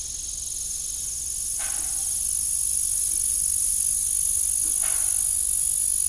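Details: Evening crickets at an old farm beside a broken windmill, giving a constant high-pitched ringing trill in two shrill bands that grows slightly louder, with two brief dull knocks in the background.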